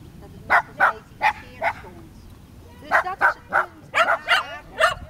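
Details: Tricolor Shetland Sheepdog named Sky at Erkemede dog beach near Nijkerk, Netherlands, on 3 August 2011, giving a burst of four sharp barks, a short pause, then a quicker run of seven or so barks.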